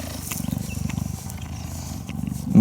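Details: A hand-raised cheetah at a rescue center, recorded in 2015, purrs in a deep, steady, rumbling throb while being stroked and grooming a volunteer's head, with a person talking over it.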